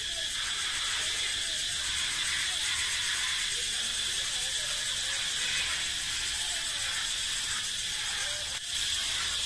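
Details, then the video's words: Cicadas echoing through a forest: a dense, unbroken high-pitched buzzing drone holds steady at full strength for the whole stretch, with no pauses or changes in rhythm. "เสียงร้องจักจั่น เสียงดังก้องป่า"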